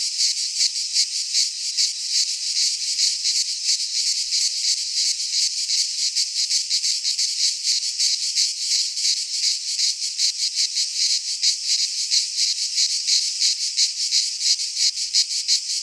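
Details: Midsummer cicada chorus in a pine forest in Greece, a dense shrill buzz pulsing roughly three times a second, unbroken for the whole stretch.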